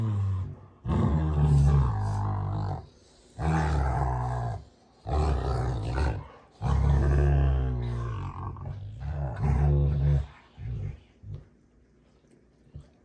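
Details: Two Rottweilers, June and Kenai, growl at each other while play fighting on a ranch: heavy, rumbling snarls in bursts of one to three seconds, fading to near quiet at the end.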